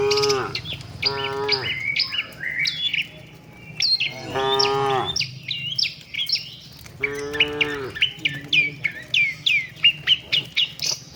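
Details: Tame cattle travel with their herd to the shed, mooing four times in short, rising-then-falling calls. A run of rhythmic bird chirps fills the pauses and continues to the end.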